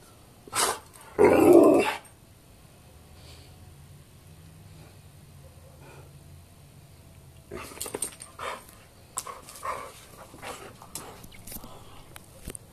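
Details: Dog playing tug of war, giving a short bark and a loud throaty growl early on, then quiet, then scattered scuffling and small vocal bursts as play resumes.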